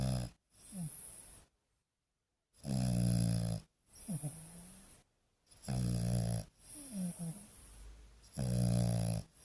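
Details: A young male French Bulldog snores while sleeping, in deep, rattling bursts, each loud inhalation followed by a softer, wheezy exhale.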